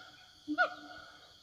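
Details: A siamang in forest gives one short, rising hoot-bark over steady high insect buzzing, calling back and forth to its companions.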